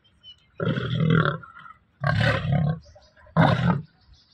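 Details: Bengal tiger in a trainer's care giving three deep, coarse roars, each about half a second to a second long, spaced roughly a second apart with quiet gaps.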